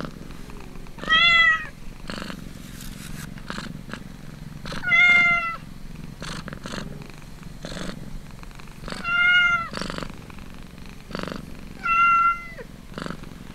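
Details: While suckling, a kitten keeps up a pulsed, breathy purr and lets out four loud high-pitched mews at roughly four-second intervals, each level then dipping at the close.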